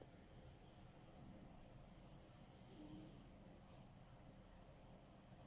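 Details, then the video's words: Sleeping cat Smokey snoring: a single long, airy rasping inhalation of about a second with a brief thin whistle near its end, followed by one sharp click, against a low constant hum. "Snoring Cat"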